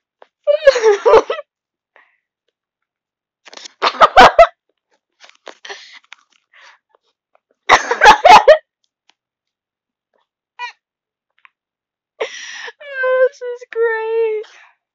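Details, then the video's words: Cat reacting to a fly she has spotted indoors, giving odd noises: short chirping bursts and clicking chatter separated by silences, ending with a clearer drawn-out mewing call. "Weird cat noises"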